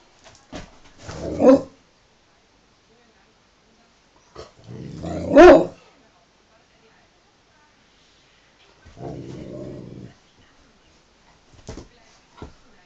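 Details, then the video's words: Two male Dobermanns play-fighting with their mouths: a sharp bark-growl burst near the start, a louder bark about four seconds later, then a low rumbling growl lasting about a second, with quiet gaps between. "Dobermann oder Doofer-Mann :) meine beiden Jungs beim Maulrangeln."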